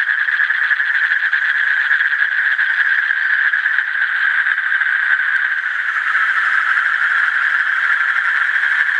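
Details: Sustained pulsing trill of an Asian common toad, a high, even rattle that keeps going without gaps, its texture slightly rougher toward the end.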